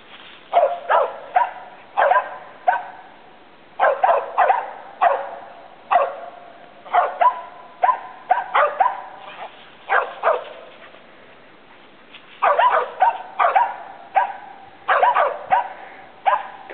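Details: Squirrel-treeing Feist dogs Taz and Princess, pups of old Slick, bark steadily at a treed squirrel; rapid, sharp yips arrive in dense runs of three to five, nearly continuous, with brief pauses.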